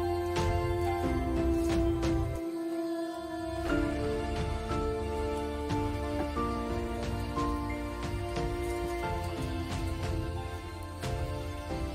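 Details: Gentle instrumental music with sustained tones and soft plucked notes plays throughout, with no animal voice audible.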